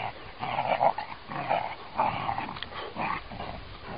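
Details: Cute puppy giving a run of short, nasal whining yelps in bursts about every half second to one second, each a slightly rough mid-pitched cry, over steady low background hiss.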